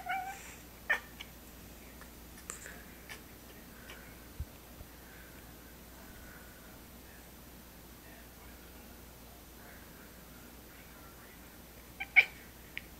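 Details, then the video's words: Pistol, a pet cat known as the laughing cat, recorded indoors on a phone: a few short, quiet, harmonic cat vocalizations near the start and around the third second, then mostly low room hiss with faint knocks and a sharp click near the end. "Pistol-The Laughing Cat"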